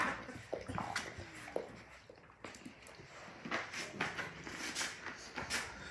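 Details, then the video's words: Labrador Retriever puppies, a litter of six, just woken in the morning indoors; faint short falling whimpers amid rustling, bumps and clatter, with brief soft squeaks later on. "Labrador Retriever puppies sound the morning alarm"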